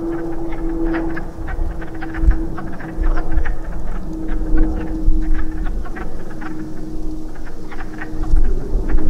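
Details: Wood frogs breeding in a woodland pool after rain, a chorus of short clucking, quack-like croaks overlapping irregularly, with a steady low hum and wind rumble in the background.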